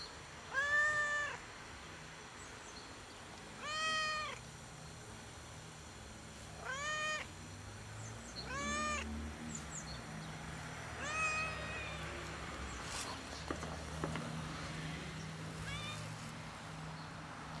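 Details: A solitary, fluffy, funny-coloured cat perches on a gas enclosure and meows while waiting for food. About six short, bright meows come every three seconds and grow fainter and more muffled toward the end, with soft outdoor background noise.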